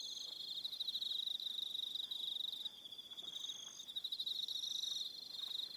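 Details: Evening crickets on Aroha Island, New Zealand, in a dense chorus: a steady high-pitched trill with faster pulsed chirping layered above, several callers overlapping and swelling and dipping in loudness, no other sounds.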